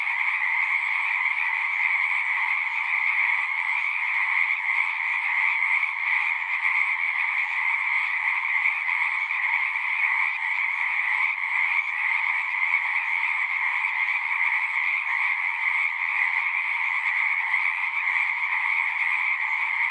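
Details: A natural night-style chorus of singing frogs runs without a break, countless overlapping calls merging into a steady high buzz and a lower continuous band, level and unchanging across the whole stretch.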